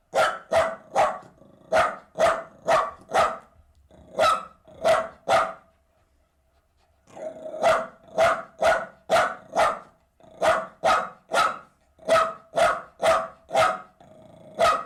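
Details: Playful Jack Russell terrier leaping about, barking rapidly at roughly two barks a second in sharp, even volleys, broken by a brief silent gap midway before resuming.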